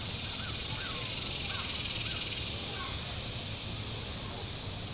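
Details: Cicadas on the shore of Table Rock Lake, southern Missouri, on a very warm Saturday: a steady, hissing high buzz drones without a break, while faint short upswept chirps from another animal repeat in the background.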